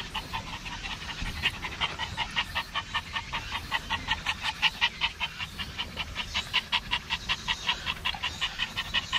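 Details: Maltese at the seaside, Dolmeori Beach, panting hard in an even, rapid rhythm of roughly 160 breaths a minute, each pant a short airy huff, with soft low background noise.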